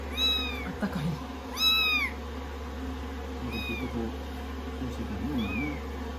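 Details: Rescue kittens fussing on a lap under the hair dryer after their shampoo, day 16 of a growth record: four clear, drawn-out meows with rising-falling pitch over constant low dryer drone.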